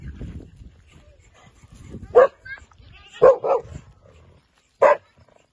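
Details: A 14-month-old double-coated female German Shepherd gives about four short, sharp barks, two close together near the middle and one near the end, after a stretch of low murmuring voices.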